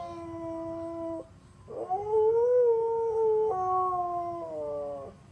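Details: Siberian Husky singing along with an ice cream truck's jingle in the neighbourhood; a wavering, slightly rising howl rises between the truck's flat, stepped melody notes.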